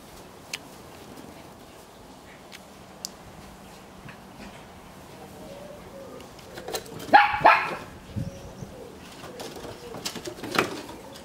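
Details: Two Shetland Sheepdogs, Coco and Silky, playing in their new garden: a sharp, harmonic bark bursts out around seven seconds, with a shorter yelp near ten and a half seconds, over a low, steady outdoor background.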